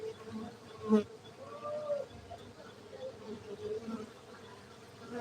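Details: Cultivated honey bees at a honey bee centre in Gayo, Aceh, Indonesia: a steady, low droning hum holding two even tones throughout, with a brief sharp knock near the one-second mark and a few faint higher whines.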